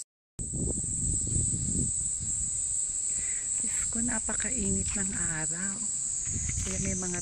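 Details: Abura-zemi cicadas in a Japanese summer give a steady, high, hissing "jin jin jin" drone likened to frying oil, with a person talking over it partway through.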